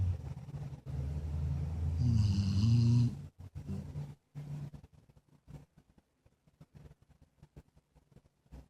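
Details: Sleeping Jack Russell Terrier mix named Penny, a snorer since puppyhood, rumbles through a loud, low, throaty snore for about three seconds, then falls quiet with only soft scattered breaths and clicks.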